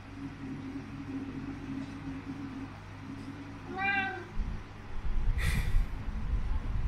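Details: Laxman, a Siamese cat being cuddled and happy, gives a single short, clear meow amid quiet room hum, followed by rustling handling noise.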